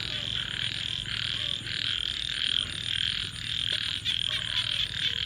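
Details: At night a crowd of frogs keeps up a relentless high trilling chorus, pulses swelling and fading in short bursts, with a soft low murmur beneath.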